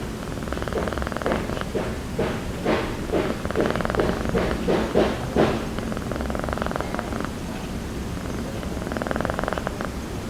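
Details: Calico village cat (kucing kampung) sound asleep on a motorbike seat, snoring and drooling: a steady low rasping purr-snore pulsing about twice a second, swelling in breathy bursts and fading, then resuming near the end.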